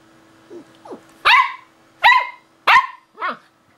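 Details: Samoyed puppy, female, indoors at a piano; three loud, high-pitched sharp yaps about 0.7 seconds apart, preceded by two soft short whines and followed by a quieter falling yelp, with a faint steady hum behind.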